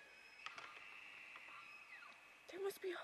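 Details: Bull elk in the rut, wrestling and pushing one another at close range: a long, steady high whistle holds level, then slides downward near its end, followed by a brief human voice and faint clicks.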